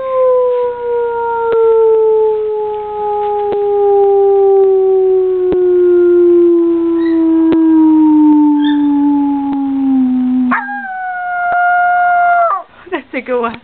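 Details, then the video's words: Young pet dog howling indoors like a coyote: one long, steady howl with rich harmonics slowly sliding downward in pitch for about ten seconds, then a sudden higher, shorter howl that levels off before breaking into brief wavering notes at the end. "Teddy Bear Howls"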